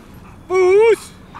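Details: German Shepherd during high-performance obedience training, giving one drawn-out, strongly harmonic whine that holds steady then rises slightly and breaks off after about half a second, with a handler's voice giving commands nearby.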